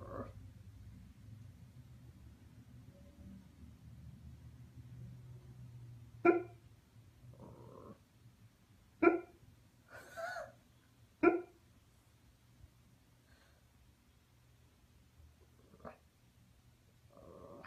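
A husky vocalizes in its sleep with short, clipped woofs spaced a few seconds apart. Between them come brief whimpering, talk-like murmurs, all over a faint low hum.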